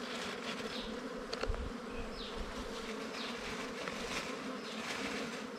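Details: Honey hunt at a wild bee nest: a steady massed buzzing hum, a few knocks and rustles, and soft descending high chirps at irregular intervals behind it.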